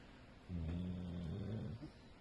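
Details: A pet female Pitbull–American Staffordshire mix dog snoring while asleep: one low, rumbling snore with steady droning tones lasting about a second and a half, indoors and otherwise quiet.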